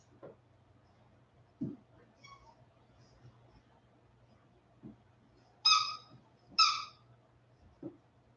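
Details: Indoors after time outside, 47-day-old West Highland White Terrier puppies: quiet shuffling and soft bumps, then two short, piercing, high whines about a second apart near the end.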